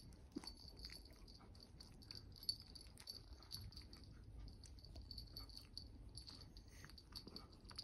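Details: A female Dachshund gives soft, high, wheezy whines in short repeated bursts, asking for affection while her owner's nephew strokes her belly.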